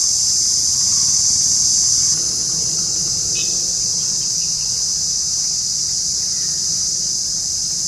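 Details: An Indian cicada drones in a continuous shrill buzz, a touch louder at first then steady, with a short faint chirp near the middle.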